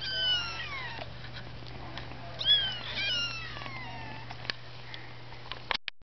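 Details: Kittens giving a few long, high, falling meows in the first half, one sharper squeaky cry in the middle, then fading to a low steady hum with faint clicks before the sound cuts out.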